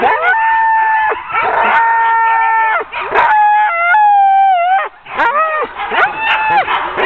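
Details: Sled dogs of a ten-dog team waiting to be hooked up for an October 2010 training run: long level whining howls held for a second or more, broken by sharp yelps and short barks from several animals.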